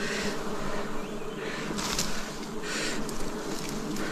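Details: Dense droning of wild bees at a forest honey harvest in 2026: a thick, unbroken low buzz with stacked overtones, plus brief hissing bursts of handling noise around two and three seconds.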